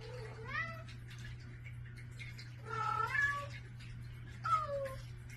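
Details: Domestic cats indoors in the morning, meowing for food at a bedroom door: three drawn-out harmonic meows, each bending up then down, spaced about two seconds apart over a steady low electrical hum.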